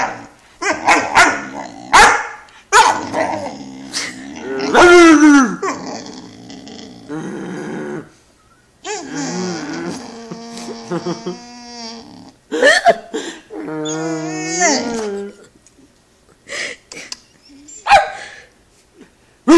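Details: An 11-week-old Great Dane puppy throwing a temper tantrum after being made to get on the couch by himself, with loud yelping barks, drawn-out rising and falling whines and growly howls, in irregular bursts separated by short pauses.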